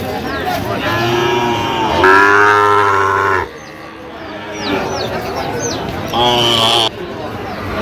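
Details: Sahiwal bull calves for sale at Ambari cattle market, Comilla, Bangladesh, on 1 September 2025. A long, deep, droning moo in the middle rises over a busy crowd, with men talking throughout and brief high chirps later.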